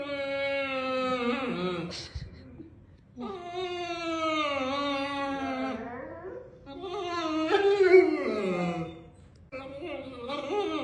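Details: A 120 lb female Neapolitan Mastiff kept as a pet, making long drawn-out whining moans indoors. The tones are harmonic and slide up and down, with three separate vocal phrases broken by short pauses.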